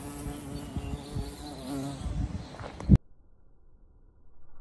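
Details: Carpenter bee, possibly a bumblebee, feeding on pink azaleas on a property with porch rafters it bores into, recorded in slow motion on an iPhone 12 Pro Max; a steady low droning hum for about three seconds, then an abrupt cut to near silence.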